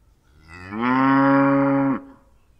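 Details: A single cow gives one sustained, steady moo of about a second and a half, deep and strongly harmonic, starting softly and cutting off abruptly, in a quiet setting.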